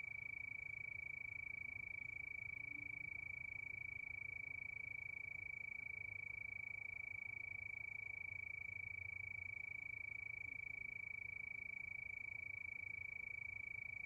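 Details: Unvarying high trill of crickets at night, fast regular pulses holding one pitch for the whole stretch, over a dull low rumble.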